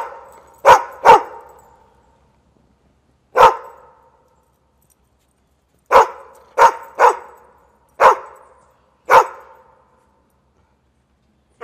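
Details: Loud dog barks in small clusters, a quick double bark, a lone bark, then a run of four or five barks spaced under a second apart, with silence in between.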